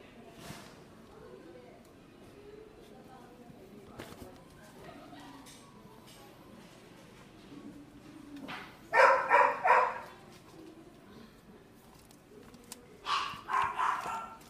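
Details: Dog at a pet shop barking indoors: quiet murmured talk and small noises, then two bursts of sharp, rapid yaps around nine and thirteen seconds, each three or four barks in quick succession.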